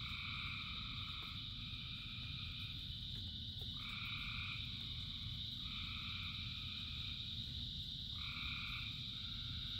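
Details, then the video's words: Rain-soaked frog chorus of thousands, where a steady piercing trill runs beneath repeated long droning calls that begin and end in overlapping bursts every couple of seconds, over continuous rain rumble. "Frogs in Rain 2 Hours of Frogs, Thousands of Frogs Singing"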